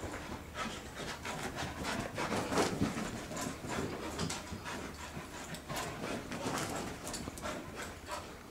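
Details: Soft-coated Wheaten Terrier named Murphy, playing with a toy while being chased and urged on, breathes in quick, rough, rhythmic pants of about three breaths per second, each a broad hissing burst, steady throughout with no voices over it.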